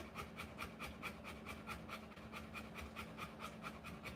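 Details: Female Rottweiler in labour with puppies, panting in even, breathy bursts a little over two per second, each puff hissing and clear above a faint low hum.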